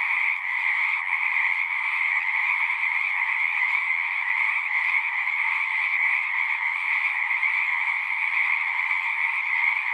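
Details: Dense chorus of many frogs singing together, a steady unbroken wall of sound with two bright bands, one high and one lower, no pauses; no other sounds stand out.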